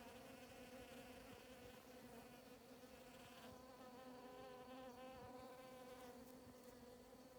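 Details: Hundreds of bees collecting nectar and pollen from grass flowers on a morning in the Sierra de Huautla biosphere, Morelos, Mexico, make a steady, low, layered droning hum that swells and fades slightly but never breaks.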